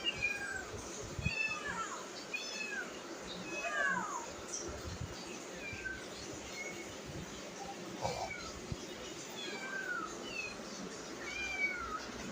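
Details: Several domestic cats sit eagerly waiting to be fed while their food cools. Rising and falling meows, short and plaintive, repeat every second or two from overlapping voices, with a few bumps and handling noises between them.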